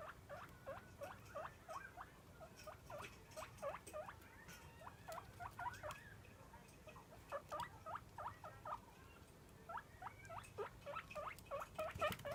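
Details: Roko, a pet guinea pig, squealing for food as daily feeding begins: fast bursts of high rising wheeks in clusters separated by brief pauses, with light rustling and clatter behind.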